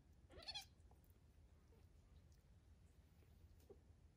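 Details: Three-week-old foster kittens learning to play indoors; one short, high, thin meow falling in pitch near the start, then quiet room hum with faint scuffles.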